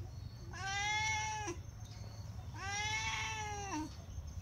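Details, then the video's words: Begging for food, a Sorna cat cries continuously: two long wailing meows, each roughly a second, with rich harmonics, a level pitch and a slight fall at the end, over a low hum. "sorna cat crying/meowing nonstop for food || cat meowing continuous"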